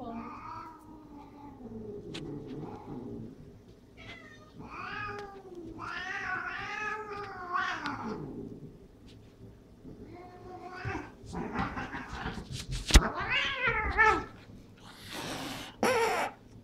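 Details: Domestic cats fighting and wrestling indoors, one attacking the other; drawn-out wavering yowls and rising-falling howls, some harmonic and some harsh, trading back and forth, with a person talking in between.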